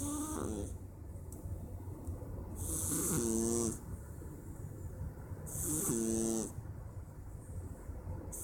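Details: A male Persian cat snores on a Wednesday afternoon, each breath a buzzy, rattling snort with a faint tonal whine, about three seconds apart, with soft hissing inhalations between them.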